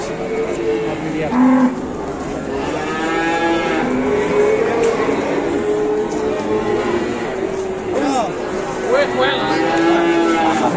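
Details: Large cattle at an Indonesian livestock market, several animals lowing at once: overlapping drawn-out moos that swell and fall, some bending upward at their ends, over steady crowd murmur and faint background music.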